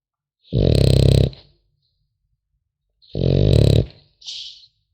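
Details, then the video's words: Snoring French Bulldog puppy in sleep: two coarse, low rattling snores of under a second each, about two seconds apart, the second followed by a short airy puff of breath. "Храп щенка французского бульдога"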